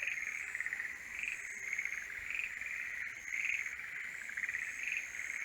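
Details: Mating-season forest green tree frogs, their pulsed croaks rising in bursts about once a second, softer and more distant, beneath a prominent high sustained insect-like whine.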